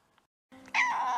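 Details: Ponko, a domestic cat, calls out as someone tries and fails to catch her, February 2023: a short quiet lead-in, then one loud, drawn-out, slightly wavering meow lasting about half a second.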